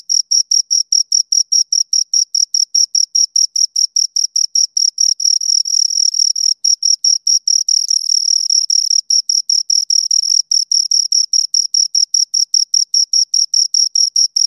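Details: Two crickets stridulating at close range: a high, metallic pulse train of about four to five chirps per second. Midway the pulses briefly blur into a denser, overlapping trill as both insects sound together, then separate again.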